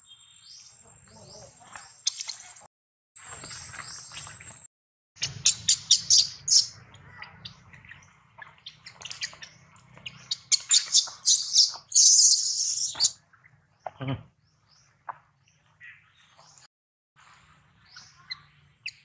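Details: Baby monkey separated from its mother after another monkey took it, crying loudly to call for her; shrill, high-pitched screams come in bursts of rising intensity midway, with quieter rustling and gaps between outbursts.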